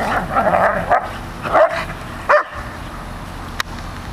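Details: Dog vocalizing, from a pair named as Airedale Terrier Rocco and Labrador Molly: three short, harmonic, yelping barks with rising and falling pitch in the first two and a half seconds, then a single sharp click over quiet background.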